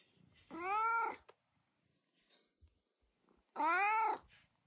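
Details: A talkative indoor cat gives two loud, drawn-out meows about three seconds apart, each curving up and down in pitch, with near silence and small clicks between them.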